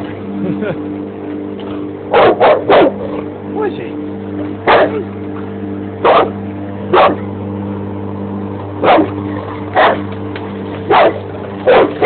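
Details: Bandog Mastiff barking at a lawn mower it dislikes, with quick double and triple barks spaced over the mower's steady hum, and a human voice briefly heard early on.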